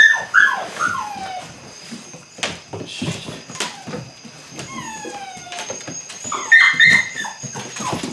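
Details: Belgian Malinois puppies aged eight weeks during early bite work whimper with thin descending whines and occasional sharp yips. Scuffling and knocking sounds run throughout.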